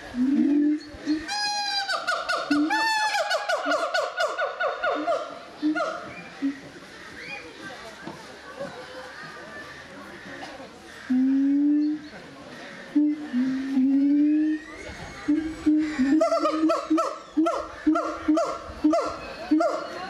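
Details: Gibbons at the Doué-la-Fontaine zoo, France, 2010: rising whoops at first, a quieter noisy stretch, then a few sliding hoots and short repeated whoops again, with some background chatter.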